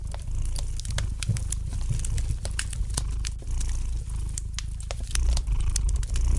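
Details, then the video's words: Soft, continuous low purring of a domestic cat, a steady buzzing rumble that grows a little stronger toward the end, mixed with light crackling and popping from a fire in the fireplace. "Relax to the gentle purring of the cat and the light crackling of the fire in the fireplace!"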